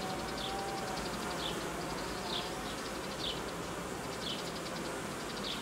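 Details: Honey bee colony that produced royal jelly and raised queen cells, now being reorganised during a sharp drop in temperature as newly built frames are removed from its edge; a steady broad hum with faint regular ticking high above, roughly once per second.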